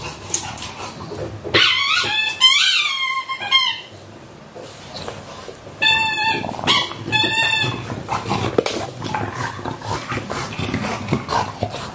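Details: Whining from the English Bulldog pair WanWan (one year 164 days) and Fe (one year 80 days) on 3 December 2015: two bursts of high, squeaky, wavering whines, each about two seconds long, separated by a brief quiet gap, with rustling noise between.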